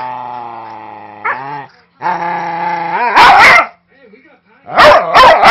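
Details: Snoopy, a vocal 5-year-old Manchester Terrier mix, roughhousing harmlessly with a 3-month-old husky lab mix puppy: two long, droning growls with a rising end, then loud, harsh bark bursts, the last ones fast and doubled.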